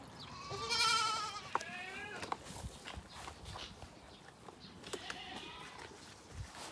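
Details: Black goat kids on a goat farm: a loud wavering bleat with stacked harmonics in the first second, followed by shorter quavering bleats and a faint later bleat, with knocks and rustling around them.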